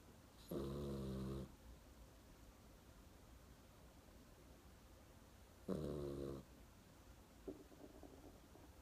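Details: Dog snoring in its sleep indoors: two long, low, buzzy snores about five seconds apart, each close to a second long, followed by a soft brief snuffle near the end.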